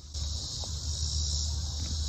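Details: A steady, high, hissing drone from a chorus of many cicadas in woodland, with low wind rumble underneath.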